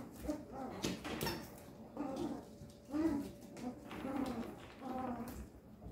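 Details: Thirteen-day-old male Papillon puppy indoors making soft, thin squeaks and whimpers, repeated roughly once a second, fairly quiet against room noise and faint voices.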